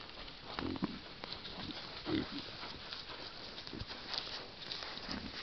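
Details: A group of wild boar in a forest by a stream give low, short grunts at irregular intervals over a steady rustling background.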